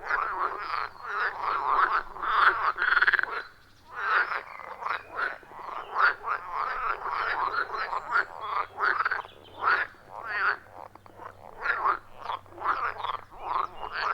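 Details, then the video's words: Loud, rhythmic frog chorus from a quiet forest pond, iPhone 14 Pro and Shure MV88+ recording: dense rattling croaks tumbling over one another, a brief lull near the fourth second, then continuous overlapping calls. "30 Minutes of Frog Sounds at a Forest Pond"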